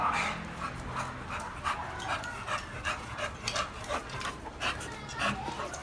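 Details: Black, a pet dog worked up by another dog nearby, pants in quick breathy bursts with faint whines, while a man calls him over and talks soothingly close by.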